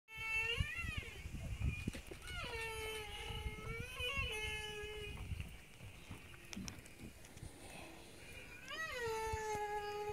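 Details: Humpback whale song recorded 10 August 2017 in the Triangle area of Hervey Bay: drawn-out, mournful tonal moans with swooping rises and falls over a low underwater rumble.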